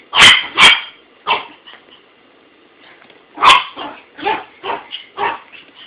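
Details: A male dog named Buddy barking at his toy, recorded with an Android phone. Two sharp barks open the clip, then a pause, then another loud bark followed by a run of softer, quicker yips.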